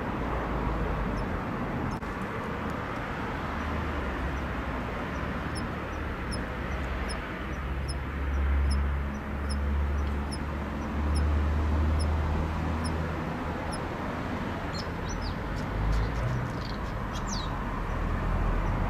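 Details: Kanetataki cricket (Ornebius kanetataki) singing in late autumn as temperatures drop and its song grows weak near the end of its calling season: soft, high metallic ticks, evenly spaced, over steady traffic rumble.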